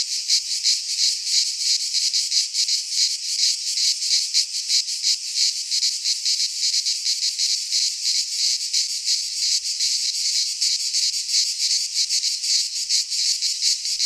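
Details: Greek pine-forest cicadas in midsummer produce an unbroken, shrill, rasping buzz, rapidly pulsed and evenly loud from start to finish, with nothing else audible.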